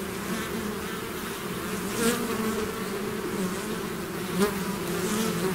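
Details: Swarming bees out of the hive: dense even buzzing with two short louder whooshes as single bees zip past the microphone.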